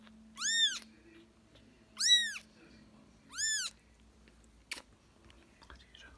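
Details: ['Playing British and Scottish kittens indoors: three loud, clear, high-pitched kitten meows, each rising then falling, spaced about one and a half seconds apart, followed by a sharp knock and soft rustling.']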